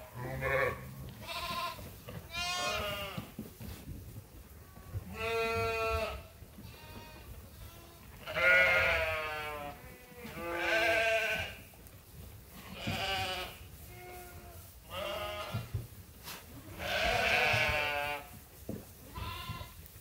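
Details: Flock of sheep at Ewetopia Farms during feeding chores in lambing season, bleating almost continuously: many overlapping wavering calls, long and short, one after another with barely a pause.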